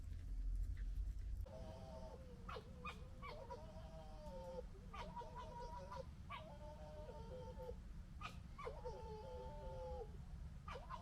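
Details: Fox noises, gekkering and fighting: bursts of wavering, stepped tonal whines, some rising sharply, repeated several times, over a steady low rumble.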